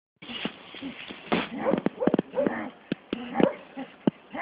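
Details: Staffordshire Bull Terrier out on a walk, giving short high whimpering yips in bursts with scattered clicks and a muffled, band-limited background.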